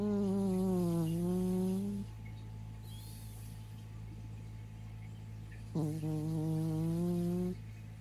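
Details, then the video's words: Bicolor Persian cat asleep, its snore likened to a fart: two drawn-out buzzy, tonal snores of about two seconds each, dipping slightly then rising in pitch, separated by a quiet gap, over a steady low hum. "オナラみたいないびき ペルシャ猫"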